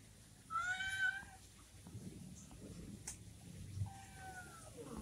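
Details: Orange kitten left behind by its mother giving two high, drawn-out meows about three seconds apart, with background hiss and low rumble.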